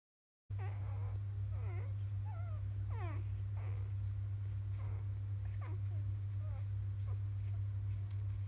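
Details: Three-day-old field-type Labrador Retriever puppies at evening nursing time, born to the 2017 JFA grand champion biscuit; frequent short wavering whimpers and squeaks overlap, over a steady low hum.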